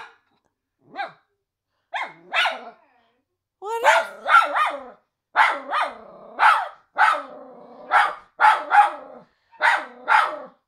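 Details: Miniature Schnauzer, worried while watching a scared Doberman on screen, starts with scattered barks, then builds into a fast run of high barks joined by sustained, droning whines between them.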